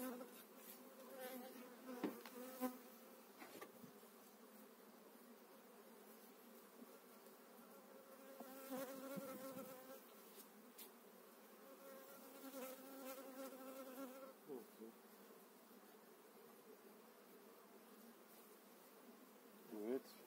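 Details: Spring hive transfer of eight frames of honey bees, 2018, while brood and a pollen store are inspected: a continuous droning hum with clear stacked tones that swell in places, plus occasional taps and rustles.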